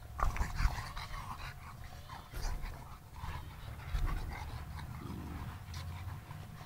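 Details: Panting domestic dog, one of a kennel's Sarplaninac and Shar-Pei dogs, heard close by. Uneven huffing breaths rise and fall in loudness, broken by brief louder bursts and a low throaty rumble.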